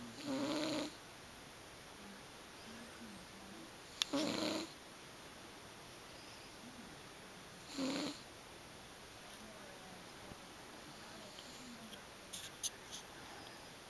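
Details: Rocky, a 13-year-old, 21-pound male tabby cat, snores while asleep on a bed indoors: three soft, rasping breath snores about four seconds apart, followed by quiet with a few faint ticks near the end.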